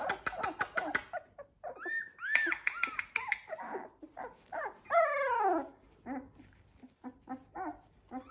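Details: Litter of Labrador Retriever puppies, Z2 litter at 16 days old, producing a burst of rapid short yelps, then drawn-out arched whines and one falling squeal, followed by softer quick whimpering.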